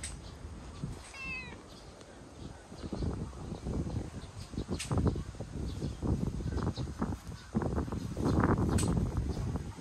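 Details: Cha-chan, a community stray cat outdoors, coming to greet, gives one short, clear, falling meow early on, followed by rustling, shuffling footsteps and handling noises with faint background hum.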